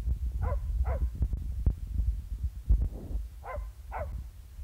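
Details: Billy, a Border Terrier, barks in a friendly way at the camera in August 2015: two pairs of short, sharp barks, each pair about half a second apart, over steady low rumbling handling or wind noise.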